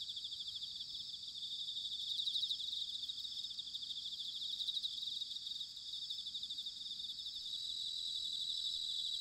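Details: High, steady trilling of bell crickets in autumn, recorded in Sanuki, Chiba, Japan; many overlapping singers form an unbroken shimmering ring that rises and falls gently, with a light low background hiss.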